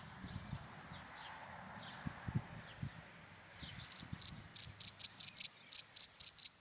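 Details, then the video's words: Cricket in dry grass during the daytime: after about four seconds of quiet outdoor background with low rumbling, sharp high chirps begin, roughly a dozen short pulses in quick succession, repeated three to four times per second. "Sound of Cricket in Dry Grass in the Daytime"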